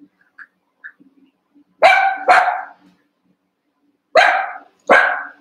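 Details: Cavalier King Charles Spaniel puppies wrestling playfully in a pen of eight: two quick pairs of loud, rich barks, each pair half a second apart, preceded by small soft squeaks and a low steady hum.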